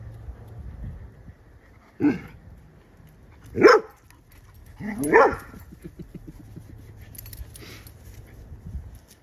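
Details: Lemon, a 10-week-old female yellow Labrador Retriever mix puppy, plays with her foster family's dog: three sharp, short barks about one and a half seconds apart, each rising then falling, against a quiet background.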